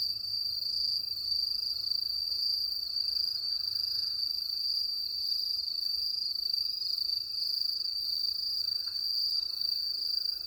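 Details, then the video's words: Crickets on a countryside night, a steady unbroken high trill that holds one even pitch throughout with no pauses, over a faint low rumble and no other clear sounds. "시골의 밤! 귀뚜라미 소리"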